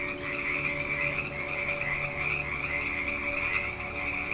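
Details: Frogs croaking in a steady, dense chorus: a continuous buzzy trill held at one pitch with no breaks for over four seconds, over a low constant hum.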